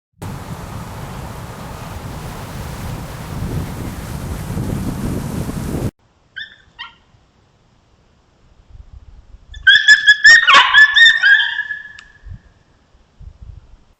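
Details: Wild coyotes on a trail camera, defending their territory: a noisy opening with low rumble, then silence, short faint yelps, and a burst of high, quavering yips and barks with harmonic stacks lasting about two seconds.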